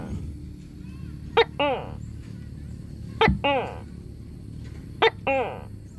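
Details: A leopard gecko (Eublepharis macularius) gives a sharp click followed by a short, nasal, harmonic chirp, repeated three times.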